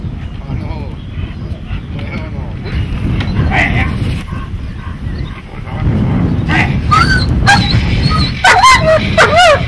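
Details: A dog in protection training gives sharp barks and higher yelping cries, loudest toward the end, over steady low rumbling noise and voices.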